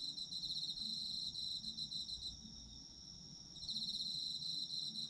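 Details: Autumn insect chorus with fast pulsed high chirping that drops away midway and returns, over a steady ringing trill, plus faint low background sound.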